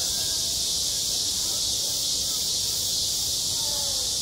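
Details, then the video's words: Cicadas calling in high summer on a school playground, producing a seamless shrill buzzing chorus; a few faint gliding tones sound softly below it. "한 여름 운동장에서 매미가 울고 있다 - 여름의 소리, 학교 종소리, 매미 울음소리"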